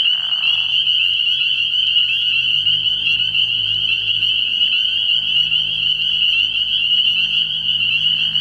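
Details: Spring peepers call in a dense chorus at a frog pond at night early in the year, a continuous high piping that merges into one steady ringing band with faint low hum beneath.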